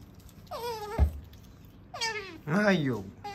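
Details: Female otter kept as a pet, chattering while finishing a meal. Two sharp, squeaky downward-sliding chirps sound about a second apart, then a louder wavering call near the end.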